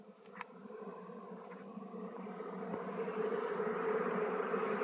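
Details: Honey bees buzzing while being moved from a traditional log hive into a modern hive during beekeeping: a steady, dense droning hum that grows louder toward the end, with a couple of brief clicks near the start.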